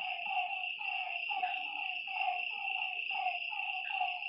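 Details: Night-time lakeside frogs give a run of clipped, nasal croaking notes at an uneven pace, with more than one caller overlapping, over a constant shrill hum of insects.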